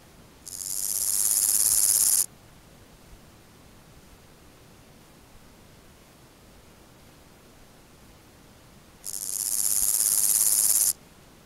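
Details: Omocestus raymondi stridulating at Gissac, Aveyron, Midi-Pyrénées, France, on 31 August 2014: two dry, hissing buzzy bursts of about two seconds each, rising in loudness then stopping abruptly, separated by a long silent gap.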